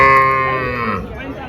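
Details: Cattle at the Dhule cow market in India on Tuesday, 30 April: a loud, rich harmonic moo lasting about a second, holding steady then sliding slightly downward and fading, with market chatter behind.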